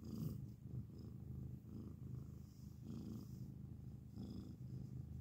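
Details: Grey house cat purring loudly near the recorder, a rich low rolling rumble that swells and fades in regular breaths about a second apart, with light breathy sounds in between.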